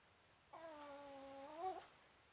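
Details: Whistling snore from Myu, a female Pomeranian fast asleep and snoring quite loudly: one sustained, buzzy-reedy tone of about one and a quarter seconds that rises slightly and swells at the end, heard indoors.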